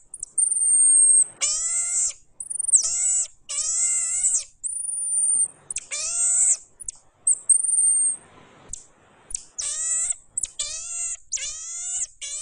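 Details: Series of pygmy marmoset calls: thin, very high whistles interleaved with rapid, slightly falling squeaky cries, repeated roughly every second in a quiet room.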